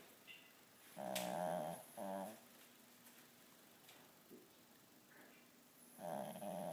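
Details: Pugsly, a pet dog, snoring in a small room: two quick rattling snorts in succession, a pause with faint snuffles, then another buzzy snore starting.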